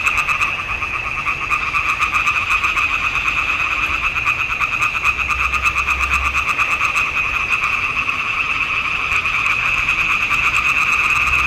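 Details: Many frogs singing in a swamp pond in June 2021, filmed with a Nikon D780: a dense, continuous chorus of rapid rattling croaks layered into a steady, shimmering drone, with fast pulses overlapping throughout.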